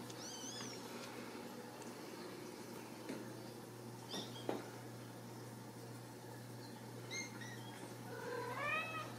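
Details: Ragdoll kittens raised in a home cattery in central Kansas, nursing with their mother indoors; several thin, high rising-falling mews near the start, middle and end, over a steady low hum, with a woman speaking softly nearby.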